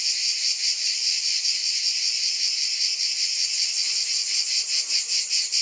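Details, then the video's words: Shrill, sizzling cicada buzz holding steady, pulsing lightly at a quick, even pace, a dense insect chorus with no background noise. "Scintillating Cicadas 1 hour White Noise"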